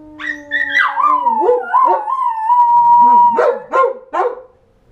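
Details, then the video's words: Howling pet dogs, with more than one voice overlapping: high notes glide downward and merge into a long, level howl lasting about three seconds, followed by three short, sharp yips at the end. "My crazy howling dogs..."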